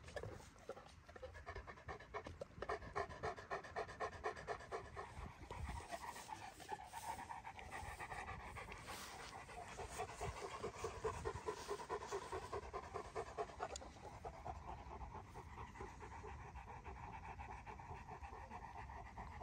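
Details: Dogo Argentino female panting while mating for the first time: fast, steady breathy pants in a rapid rhythm that swells and continues throughout, with faint background noise.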